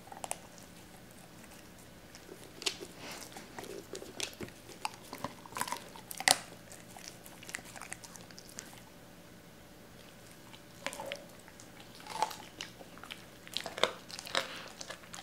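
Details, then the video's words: Doberman named Cola eating raw chicken indoors for the first time, wary at first and then eating pieces cut and torn at the joints; scattered wet bites and crunches in short bursts separated by quiet pauses, with a faint steady hum. "도베르만 생닭 먹방 ASMR"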